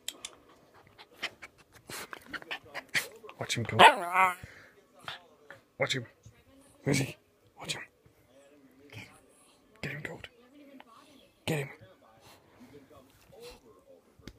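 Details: Westie puppy, a first-place puppy champion in April 2015 at Three Counties Showground, indoors, giving short sharp barks and yips spread through the recording, with one brief rising whine partway in, while people chat and laugh nearby.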